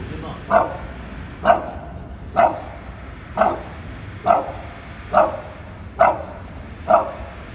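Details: Bulldog directing repeated barks at something up a tree: eight short, punchy barks in a steady rhythm just under a second apart, against a faint low rumble.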